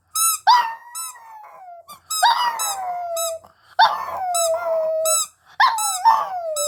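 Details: Singing dog howling indoors: four drawn-out howls, each starting high and sliding gently down into a long wavering tone, separated by short pauses, with high squeaky notes overlapping the start of each howl.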